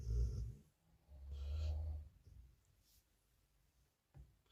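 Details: Sleeping pit bull snoring: two deep, low rumbling snores, the first short and the second about a second long with a rougher breath, then near quiet with a faint click at the end.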